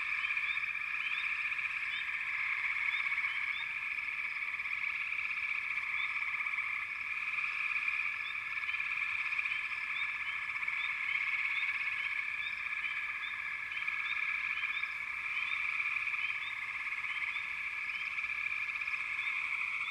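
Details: Frogs calling in a dense, continuous chorus, a steady high trill layered with faint repeated chirps, unbroken across the whole recording with no other clear sounds.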